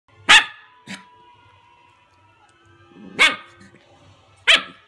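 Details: A 9-week-old male Golden Retriever puppy gives a few sharp, high yipping barks with quiet pauses between them while struggling to grab his own tail.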